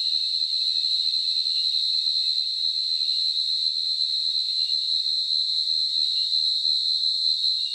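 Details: A field cricket in the Nilgiris, India, gives a steady, high, ringing trill that carries on without a break.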